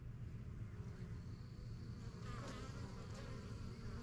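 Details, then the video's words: Honey bees around a young backyard hive begun in spring 2023; low steady humming drone of wings with a faint higher tone and soft ticks overhead. "BUSY BEE HIVE AMBIENCE"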